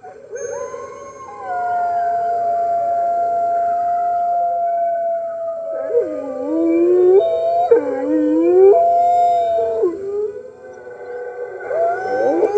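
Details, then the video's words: Captive red wolves howling with the rest of the wolf center's pack on the morning of March 15, 2013, New York, webcam recording: a long, level howl joined by wavering, dipping and rising voices that overlap in a layered group chorus. "Red Wolves Howling - Early Morning"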